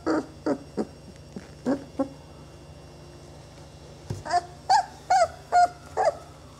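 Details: Young Saluki puppies, twenty days old, from a kennel litter make short squeaky yelps and soft grunts in scattered bursts, a pause in the middle, then a quicker run of sharp little cries.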